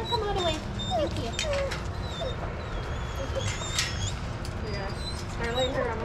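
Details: A dog whimpers in a shelter yard at Pima Animal Care Center, Arizona, during supervised playgroup; thin high whining tones come and go over steady background chatter and other dogs.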